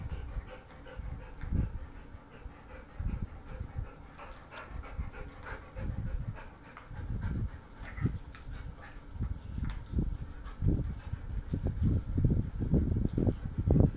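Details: Basset Hound named Ladybird with her bone: low, breathy huffs and pants in irregular bursts, roughly two per second, growing louder and denser toward the end.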